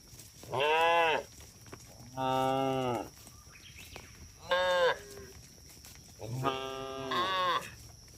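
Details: Cattle in a herd roaming along a road: four loud, drawn-out harmonic moos, each about half a second to a second long, spaced a second or more apart, over a steady background hum.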